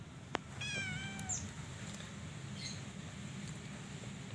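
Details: A Persian cat, mother of four kittens, gives one clear meow of under a second, harmonically rich and gently falling in pitch at the end, then quiet indoor background with a faint brief sound afterwards.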